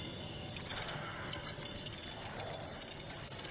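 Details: Cricket sound meant to chase off rats and act as a lure, starting after a quiet half second with a shrill trilled burst, then a rapid string of high pulsed chirps about twice a second over a faint low background hum.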